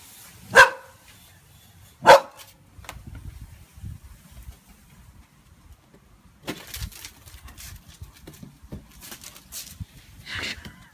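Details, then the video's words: A frightened Boxer named Pixie barks twice at a balloon, the loud barks a second and a half apart, followed by shuffling, rustling movement noises indoors. "Pixie The Boxer Dog - Scared of a balloon"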